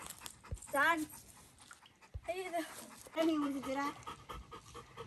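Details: A Labrador Retriever by a swimming pool, vocalizing as if asking an older woman for permission to swim: three drawn-out, wavering, moaning whines with rich harmonics, about a second apart, over breathy background noise.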